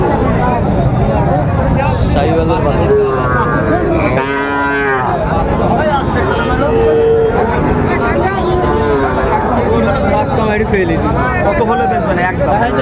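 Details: Sahiwal bulls at a cattle market in Narsingdi, Bangladesh, on 5 July 2024: a drawn-out, rising-then-falling bovine moo near the middle, surrounded by steady crowd chatter and talking voices throughout.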